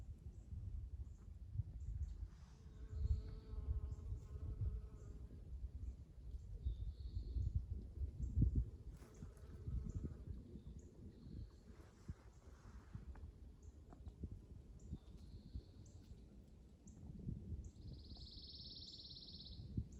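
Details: Honey bees buzzing amid spring ambience: a low droning hum with a brief steadier tonal buzz partway through, low rumbling background noise, and faint high bird chirps scattered throughout.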